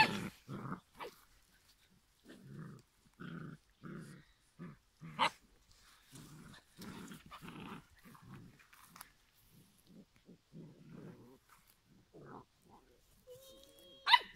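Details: Giant schnauzer puppies at five weeks growl in brief low pulses, some repeated in quick pairs. A faint thin whine and a sharp click come at the very end.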